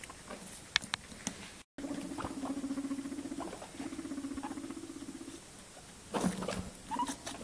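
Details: Guinea pigs give low, buzzy, rapidly pulsed calls among crunchy chewing sounds while eating cucumber.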